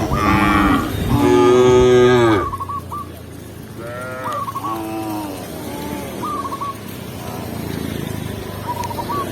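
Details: Shepherd in a village guides tame cows to the pen; two strong overlapping moos open, then a quieter moo follows amid recurring short chirps.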